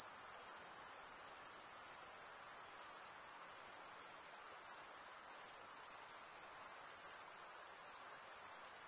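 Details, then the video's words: Crickets trilling nonstop in a high, even buzz-like shimmer, dipping briefly in volume just after two seconds and again near five, otherwise unchanging and free of other noises. "Most relaxing cricket sound for 8 hours"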